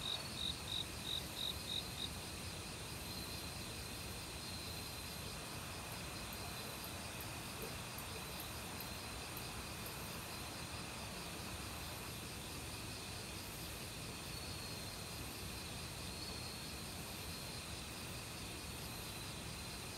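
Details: Forest crickets in autumn, calling alongside many other insects near a valley stream. A quick burst of six sharp, high chirps opens, then gives way to a continuous shimmering insect drone over rushing water.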